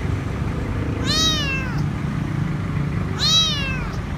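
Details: Stray kitten found alone under a food truck at a grocery store, crying for food: two drawn-out meows that rise then fall, about two seconds apart, against steady low rumbling background noise.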